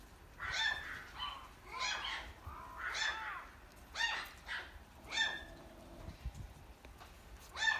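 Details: Pomapoo puppy from a breeder giving a run of short, high, harmonic yapping barks, about six bursts in eight seconds, each a quick cluster of sharp yips, with a quiet room background.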